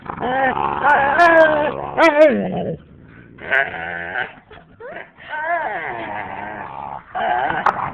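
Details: Playful husky and boxer pair at home, the boxer trying to rest on a lap while the husky won't leave her alone; long wavering moaning growl-yowls in bursts of one to two seconds, separated by short quiet gaps.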